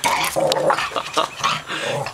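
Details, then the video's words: Small pet dog going crazy over the mail indoors, growling and barking in rough, harmonic bursts with snarling pitch swings, nearly continuous across two seconds in a small room. "Little dog attacks mail man"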